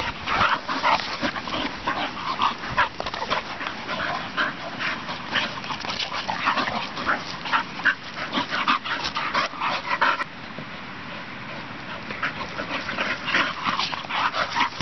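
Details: Pair of young English Bull Terriers wrestling playfully in a field beside a farm; dense, raspy snarling and growling runs for about ten seconds, briefly quietens, then resumes in choppy bursts.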